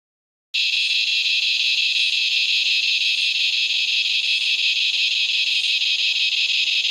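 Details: Razor grinder cicada (Henicopsaltria eydouxii), a common Australian cicada, calling as dusk falls: after a brief silence, a loud continuous grinding buzz starts abruptly and holds steady, with a fine rapid pulsing throughout.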